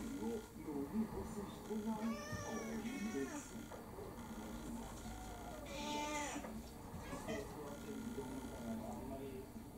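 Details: Kurumi, an orange tabby mixed breed about four years old, begs for dinner with three bright meows, two close together and one later, over soft chatter and indoor sounds.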